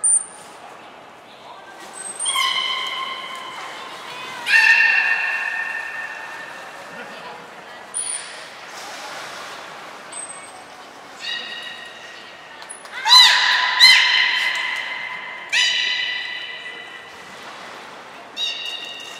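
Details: Belugas named Hodoi, Taanya and Mirai moving between pools and training at Port of Nagoya Public Aquarium on 14 March 2021; repeated buzzy, pulsed calls with steady harmonic tones, interspersed with brief high whistle notes and background murmur.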